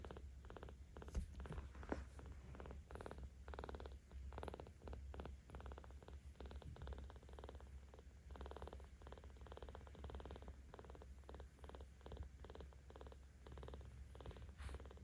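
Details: Seventeen-day-old kitten Ao, looked after by cat volunteers in Tama City, Tokyo, on 10 October 2022, purrs louder as it is petted: a steady fast-pulsed rumble broken into repeated phrases with soft rustling of handling.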